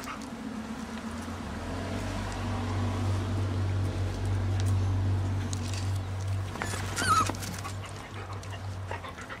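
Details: Seven-week-old puppies from a Kicsi x Sunny litter. A short, high whimper or yelp rises briefly near the end over a steady low hum and soft rustling.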